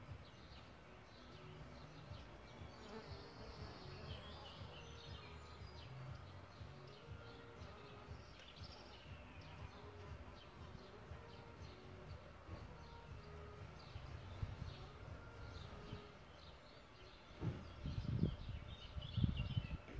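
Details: Buzzing of solitary bees at their bug hotel nest site: a quiet steady low hum for most of the time, rising to louder close fly-by buzzes near the end, while birds chirp and twitter faintly behind.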